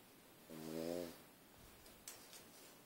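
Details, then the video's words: Sleeping pug snoring: one harmonic, buzzing snore of about half a second on the in-breath, then quiet room with a faint click. "Мопс храпит как кукурузник"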